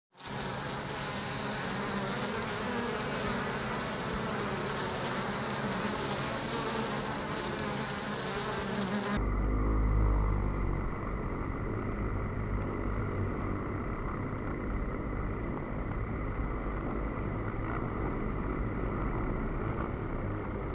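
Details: A dense, steady hum of many Western honey bees (Apis mellifera) buzzing together as they work, low and droning without pause; recorded October 11, 2020.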